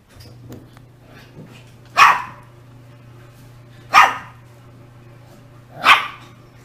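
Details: Shiba Inu dog barking, three sharp single barks spaced about two seconds apart over a steady low hum, with a couple of faint softer yelps in between.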